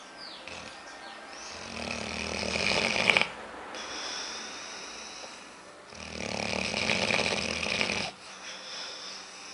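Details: Sleeping female dog Aila, called Lalá, snores while dreaming, twitching as if to run with eyes moving fast; two long, harsh, rattling snores about three seconds each, separated by a quieter breath, indoors.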